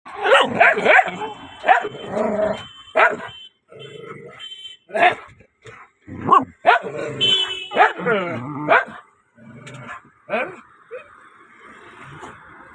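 A beagle barks and bays in loud, ringing bursts, some calls drawn out into a wavering howl.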